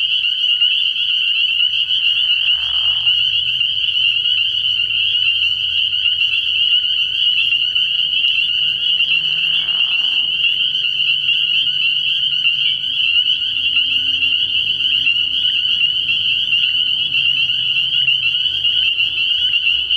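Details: At a frog pond after dark early in the year, a packed chorus of spring peepers rings continuously in a high, bright band. Two short lower rasping bursts stand out, and a soft low hum persists throughout.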